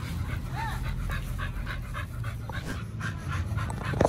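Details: Oliang and Nomyen, dogs eating a raw chicken and pork picnic set at a dog hotel: soft rhythmic panting with a short, thin rising-falling whine early on, over a constant low hum.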